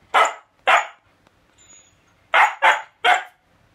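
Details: Siberian Husky keeps barking back angrily at its owner over an eaten shrimp cutlet: two sharp barks, a short pause, then three more in quick succession, in a quiet indoor room.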